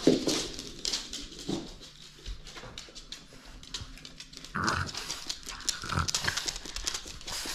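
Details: French Bulldog playing indoors and holding on to a toy; short low grunting growls come in bursts, the loudest near the middle and end, between breathy snuffles and rustling play noises.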